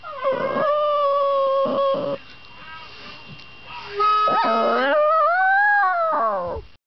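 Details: A poodle (Canis familiaris) howls in long, wavering tones that rise and fall, set off by a child playing the harmonica underneath.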